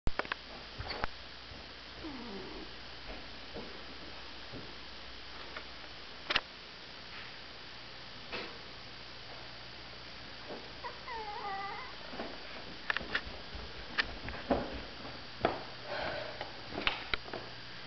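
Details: Six orphaned, bottle-fed Catahoula mix foster puppies, 2.5 weeks old, recorded indoors on 13 December 2009; faint squeaky whines and mewing calls, some in short rising-falling runs, among soft rustles, clicks and handling thuds.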